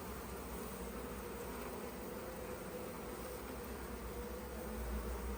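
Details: Honey bees humming inside a hive opened to take honey, five frames removed: a steady, dense low drone with faint tonal bands, unbroken for the whole stretch.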